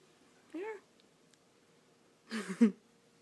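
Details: Cat described as mute, coaxed to meow indoors: one brief, soft arched meow, then after a pause a louder, broken, noisier vocal burst.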